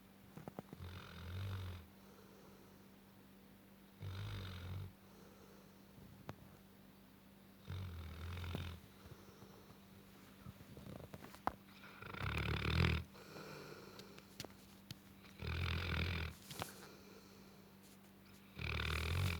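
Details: Gassan, a nine-month-old Tibetan Mastiff, sleeping and snoring indoors: deep, rasping low snores repeated roughly every three to four seconds, each a short rough burst separated by quiet breathing pauses.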